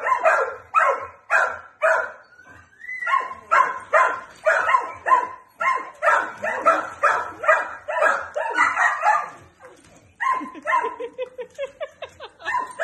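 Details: Four-year-old male suspected Jack Russell Terrier x Plott hound cross, up for adoption near Wilmington, North Carolina, plays with a flirt pole while a second dog joins the chorus. Steady excited barking, about two per second, with some yips and higher whining notes near the end.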